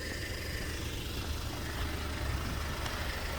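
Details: Idling delivery truck on a country road, with a deep engine rumble and broad wind-like noise throughout, and no animal voice.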